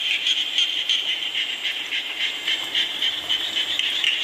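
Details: Many frogs croak together while rain falls, giving a shrill, pulsing trill that swells and dips in quick beats with no pause.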